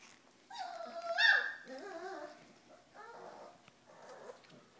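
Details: Four-week-old Pyrenean Mastiff puppies playing indoors; a high, wavering whine slides down, then shorter whimpering yelps follow, with quieter whines trailing off at the end.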